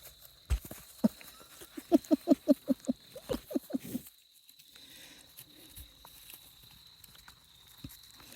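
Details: Australian Shepherd x Border Collie puppies from Domino's litter, 5.5 weeks old, recorded 8 October 2023 while being handled: a quick run of about a dozen short, tonal yelping squeals packed into two seconds, then quiet with soft rustling and handling noise.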